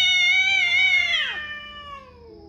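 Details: Cat in a territorial fight gives a loud, harsh, rich-toned yowl that holds steady then bends downward and fades into a lower drawn-out moan.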